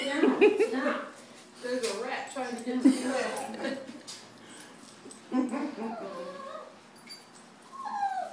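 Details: Great Dane named Shadow at the vet, giving short high whimpers and whines, some rising and falling, interleaved with people talking close by in a clinic room.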